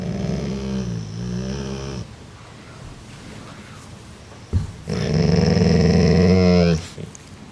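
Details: Part-Rottweiler dog growling to put its sibling lower on the food chain; two sustained low rumbling growls, the first about two seconds and the second louder and near two seconds, separated by quiet, with a person talking in between.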